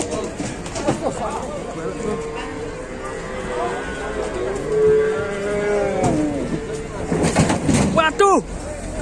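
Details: Cow pinned while trying to climb down from a truck lets out a long, drawn-out harmonic moo lasting several seconds, wavering slightly in pitch, with men talking nearby, engine rumble and sharp knocks at the end.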